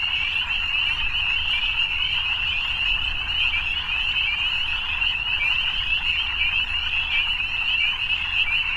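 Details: Frogs at evening in full chorus, a steady high-pitched buzzing trill from countless voices blending without a break, backed by a quiet low murmur.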